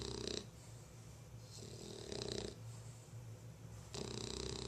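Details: Sleepy female bulldog Lola snores in rough, rasping breaths, three clear pulses about every one and a half seconds above a low constant hum.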